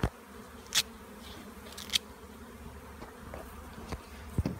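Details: Honey bee swarm near a bee yard during tanging, meant to halt it for hiving: continuous low droning buzz with scattered sharp clicks and taps, outdoors.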